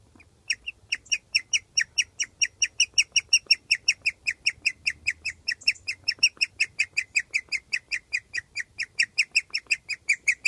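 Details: Rarely heard happy chirping from a pet guinea pig, recorded outside beneath its cage in summer: a steady run of bright, clipped chirps, around two and a half each second, over near silence.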